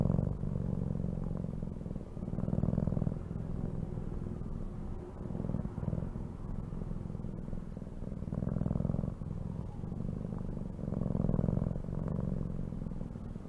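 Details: Low steady purring from a cat, a droning rumble that pulses with slow breathing cycles, some phases fuller and louder than others, with faint background hum.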